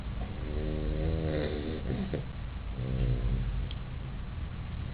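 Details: A puppy sound asleep in its bed snores loudly, with two long raspy, buzzing breaths separated by a short pause, then quieter rumbling breathing.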